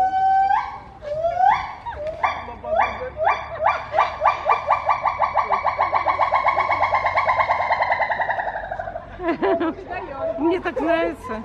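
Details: At Novosibirsk Zoo on 7 August 2023, a pair of pileated (Cambodian) gibbons sing after being given bananas: the female sings fast, accelerating rising whoops merging into a long bubbling trill, and the male joins in.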